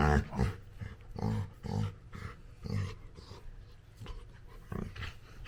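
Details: Labrador Retriever puppy at play with its owner, giving a few short, low grumbling growls spaced about half a second apart, fading to soft huffs and a quieter grunt near the end.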